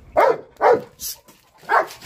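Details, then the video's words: Belgian Malinois barking at a cat: three loud, short barks, two in quick succession and a third after a pause, with a brief hissy sound between them. "BELGAIN Barking the Cat"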